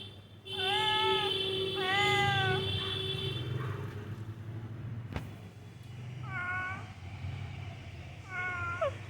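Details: Found on the ground floor of a building one misty, cold morning, a cat utters two close meows, pauses, then two shorter ones, over a steady humming tone and a sharp click.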